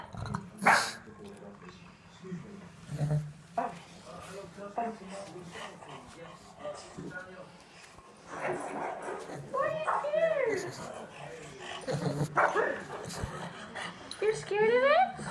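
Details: An English pug barking indoors at pug and monkey sounds playing from a screen; short barks and whines scattered through, with rising whistled screen sounds near the end and a person speaking.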